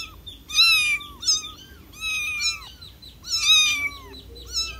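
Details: Kitten calling to its mother in loud, urgent bursts of high meows, some doubled, strongly harmonic and slightly wavering before dropping away, packed closely over a few seconds with little pause.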